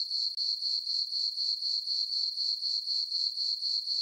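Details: Summer-night crickets in a farm meadow under a full moon and dark skies, giving a continuous shrill chirping that throbs in quick regular pulses, about four each second, with nothing else audible.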